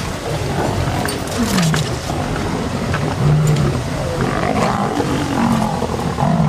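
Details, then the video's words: Lions during a sunrise fight on August 11, when three males visit a pride with cubs and the females defend them. Low, descending growled roars come in bursts against rumbling background noise. "Birminghams And Nkuhuma have a ROARING fight"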